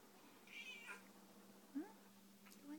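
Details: Two indoor pet cats, one 26 years old and one 15 years old, waiting for tuna; a short falling meow, then a faint second call, with a woman talking softly to the cats.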